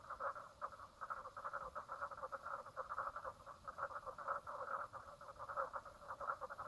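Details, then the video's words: Frogs calling at Brown Lake on Stradbroke Island, Queensland, Australia, on 4 March 2017 at 10:55 in the morning; a dense, steady pulsing chorus of rapid repeated notes, evenly sustained throughout. "frog sounds"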